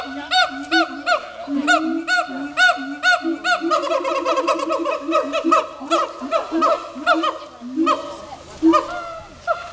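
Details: Dense, overlapping calling from two captive siamangs showing off at Dubbo zoo: rapid strings of arched barks with low droning hoots, thinning later into more spaced ringing notes.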